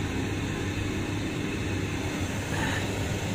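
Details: Continuous low mechanical rumble, like industrial machinery or passing traffic, with no animal call heard.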